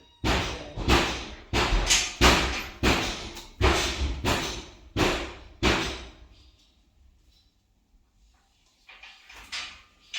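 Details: A run of loud thumps and bangs, about one a second, then near quiet with faint rustling, and no animal voice heard.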